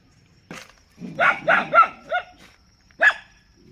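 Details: Dog barking: a single sharp bark, then a quick run of four barks, the last ones thinner and higher, and one more bark after a short pause.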